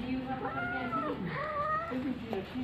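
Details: Domestic cat, filmed with a baby around milk-drinking time, gives two drawn-out meows that rise and then fall, followed by a shorter mew near the end, with a child's voice talking over it.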